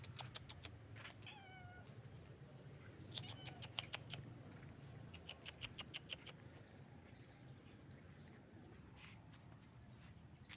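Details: Stray cat living on the street, calling its friends for food: a few short, faint, bending meows near the start, over a low traffic-like rumble, scattered clicks and taps, and a person softly saying hello.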